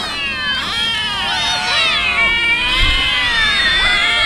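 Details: Hungry street cats being fed tuna fish meow together in a dense chorus of overlapping, wavering cries that rise and fall, with several voices sounding at once throughout.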